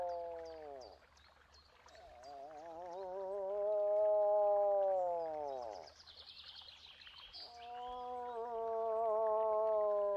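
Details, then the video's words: Drawn-out moose calls, each a bending, wavering nasal moan lasting several seconds and curving down at its end. Three calls follow one another in close succession, with songbirds twittering in the background. "Eland geluid / Elch geräusche / Elch röhren / Verso alce"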